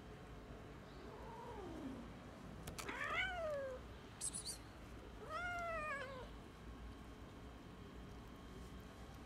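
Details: Abandoned six-month-old cat, left on the street by its owner and agitated among 15-20 stray cats, gives a soft falling meow, then two louder drawn-out harmonic meows rising and falling, about two seconds apart, over quiet street hum.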